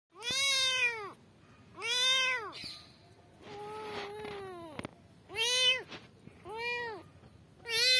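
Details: Kittens calling for their mother: loud, high arched meows with rich harmonics, some rising then falling, in bursts about a second long separated by short pauses, plus one softer, lower drawn-out mew mid-sequence.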